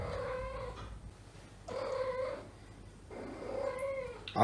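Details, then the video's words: Female domestic cat in heat, kept indoors at home with other neutered cats, giving three long drawn-out yowls, each about a second and a half, steady and moaning with rich harmonics, separated by short pauses; faint low hum underneath. "Cat Asia is in heat."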